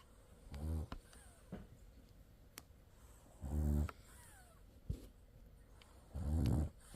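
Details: French Bulldog asleep with its eyes open, snoring indoors: three low, rattling harmonic snores, each about half a second long and roughly three seconds apart, with faint clicks and soft rustles in a quiet room between them.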